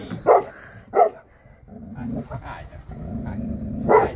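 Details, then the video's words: A 3-year-old female St. Bernard guarding: two heavy barks, then a pause filled with a lower, murmuring sound, then one more bark at the end. "Saint Bernard security guard"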